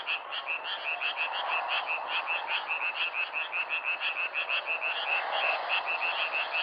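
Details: Frog croaking, softer and more distant, a quick series of short higher-pitched pulses over a broad hissy background chorus.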